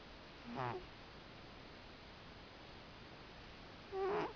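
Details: Sleeping cat snoring: two separate breaths, each a short, wheezy, whistled tone with a faint rising and falling pitch, separated by about three and a half seconds of quiet room hiss.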